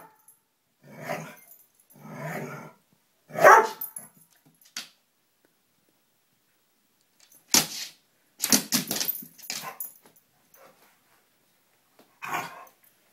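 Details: Lollie the dog going after a moth indoors: three muffled barks, the last sharper, then a quiet stretch followed by loud clattering and scraping noises and one further bark.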